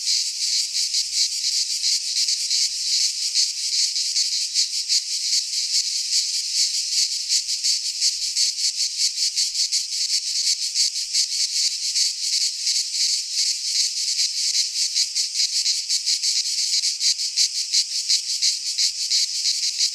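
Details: Cicadas singing in a pine forest in Greece during midsummer; a high, sharp, grating chorus pulsing fast and evenly without pause, the only sound heard.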